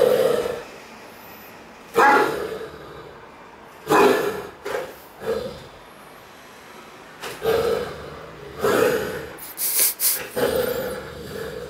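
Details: Playful barking from Cartier Bresson, a Great Dane, indoors in a Sao Paulo apartment in August 2014: deep barks and woofs in irregular bursts, roughly every one to two seconds, some short and clipped, with faint squeaky high noises.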